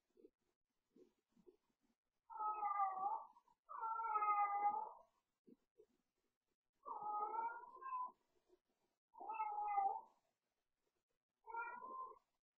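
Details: Pet cat yowling late at night during play, a nightly habit at bedtime; five long, wavering, drawn-out yowls, each about a second long, separated by short pauses, with faint soft taps between calls in a quiet room.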